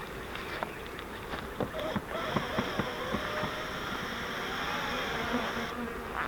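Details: Captured honeybee swarm from a bait-hive swarm trap, about eight pounds already shaken into a deep box: continuous broadband buzzing with scattered knocks and taps, a faint high whine, and brief murmured voices.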